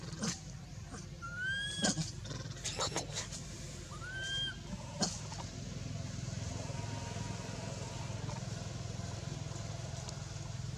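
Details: Baby monkey Anissa at Angkor Wat Temple crying in pain after Aron hit her and dragged her across hard earth: a few arched, wavering high cries in the first seconds, with sharp clicks and knocks, then steady low rumbling background.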